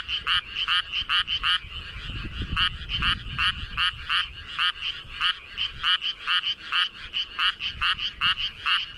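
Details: Frog in flooded rice paddies calling with its body puffed up; bursts of quick grating croaks in clustered runs, with a faint low rumble in the background.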